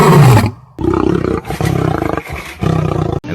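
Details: A lion roars in deep, thunderous, rumbling bursts, each a heavy throaty surge repeated every second or so with brief pauses; the roar can echo up to 5 miles.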